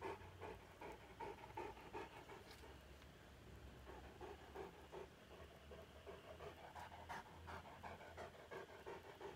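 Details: Saint Bernard dog in Nepal, a big male, panting after killing a rat; fast, rough breaths roughly every third of a second over a low background rumble and faint hiss.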